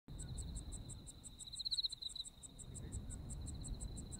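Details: Autumn insects in Japan: a steady high ringing trill runs throughout beside a rapid, evenly pulsed higher chirping, with one brief louder warbling swell in the middle, over a low rumbling background.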